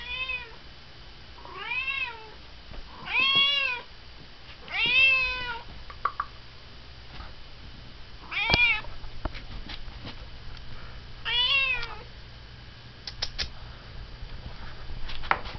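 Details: A female domestic cat meows insistently and repeatedly with a piercing meow, demanding her dinner in the evening, as she does daily around 6:30–7:30.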